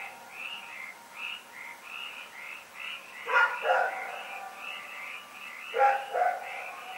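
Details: Night barking by Rex the dog, February 27, 2018. Two bursts of paired barks, about two and a half seconds apart, rise above a dense, evenly pulsing chorus of chirps.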